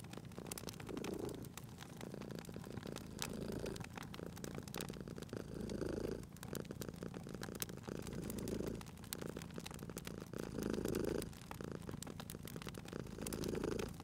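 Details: Domestic cat lying by a crackling fireplace, purring steadily; the soft rumble rises and falls roughly every two seconds while bright crackles and pops of the fire scatter over it.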